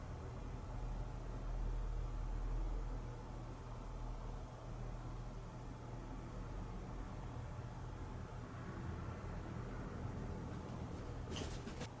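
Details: Steady broadband room noise with a low hum runs throughout, ending in a brief burst of sharp clicks.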